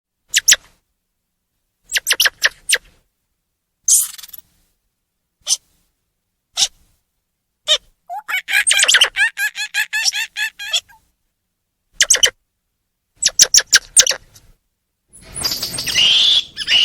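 Squirrel monkey giving sharp, high chirps and squeaky twitters in short bursts.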